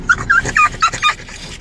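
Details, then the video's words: French bulldogs in Fort Lauderdale, Florida, USA, in May 2016, worked up after hearing they are going to the dog park: five short, high, whiny squeals and yips in quick succession, each rising or wavering briefly. "French Bulldogs Excited About the Dog Park!"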